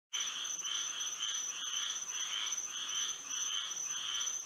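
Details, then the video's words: Frogs singing at night under moonlight in Florida: a dense chorus of overlapping rasping croaks swelling in loose pulses about twice a second, over a constant high, thin buzzing drone. "A frog symphony to sleep and relax to"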